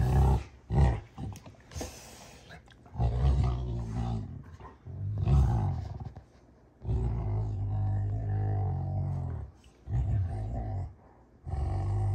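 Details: Two Rottweilers, June and Kenai, play fighting indoors on a ranch: deep, rumbling growls come in long sustained bursts, broken by short snarling snaps and brief pauses, with low harmonic rumbles filling the room.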